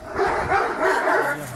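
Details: Kangal named Cadı, turning aggressive toward another dog, Sarsılmaz, after the dogs were separated: a short burst of rough barking, with voices underneath.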